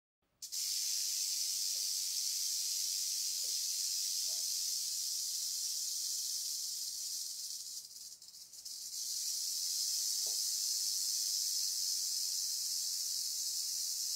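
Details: Wild timber rattlesnake, not fully in attack stance but displeased at being photographed, rattling: a continuous high dry buzzing hiss held steady throughout, briefly dipping and resuming near the eighth second.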